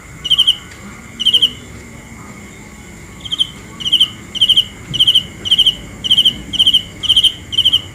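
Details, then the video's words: Cricket calling at night: a couple of spaced chirps, a pause of over a second, then a steady run of high, pulsed chirps about twice per second. "The best sounds of Cricket 《 Suab Kab Ciliv Quaj Zoo Heev》 ( ສຽງແມງຈີ່ນາຍຮ້ອງດີໆ )"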